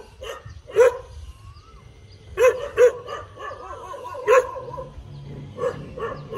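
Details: Dog wagging its tail, giving a few scattered barks with longer quiet gaps between them, plus some softer low murmuring sounds in the background.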